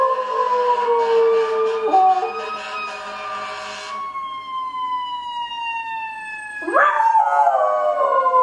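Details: Pet dog howling along with passing fire truck sirens, a wavering howl in the first seconds overlapping a long falling siren wail, then another siren sweep rising near the end.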